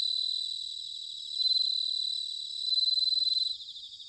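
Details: High, bell-like pulsed trills of bell crickets on an autumn night in Sanuki, Chiba, Japan, swelling loudly twice, then fading back into a soft ringing chorus.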